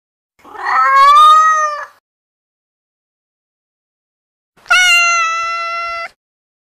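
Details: Female domestic kitten vocalizing, sounds said to draw cats' curiosity: two long, loud meows a few seconds apart, the first swelling and wavering, the second bright and steady, trailing off, in quiet surroundings.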